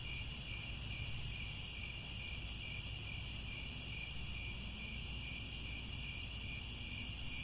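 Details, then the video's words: Crickets at sunset in the grasslands around Angkor Wat, Cambodia, forming a dense, unbroken shrill chorus of high steady trilling bands, with a soft low rumble of background noise beneath. "The Sound of Crickets at Sunset"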